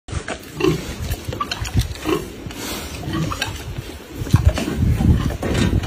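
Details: A sow being fed, low rough grunts and snorts repeated through the clip, mixed with chewing and rustling noises of feeding.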